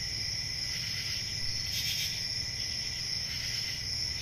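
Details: Crickets on a summer night in a forest: a dense, steady high shrill drone with a fainter lower ringing tone beneath. A brief louder swell comes near the middle, over a soft low rumble.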